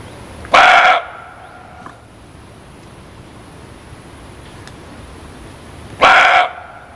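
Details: Two loud hoarse muntjac barks about five and a half seconds apart, each short and harsh, with near-quiet hiss and a faint tick between them.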